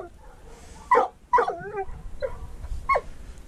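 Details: Mink hunting with a dachshund and a treeing walker coonhound: loud barks come roughly every half second to second, mixed with a wavering, howl-like whine between them against low outdoor rumble.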